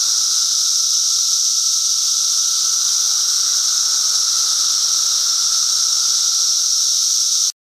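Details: Massed periodical cicadas, Brood XIV, emerging in force by Foster Joseph Sayers Lake in Pennsylvania's Bald Eagle State Forest, produce an unvarying loud high whine and lower hum that run without pause until cutting off abruptly.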